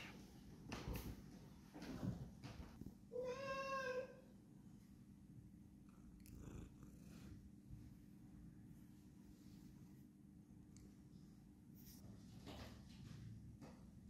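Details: Pet cat wrestling indoors: a short harmonic meow rising and falling for about a second, then a steady low purr running under soft rustling and thumps in a quiet room.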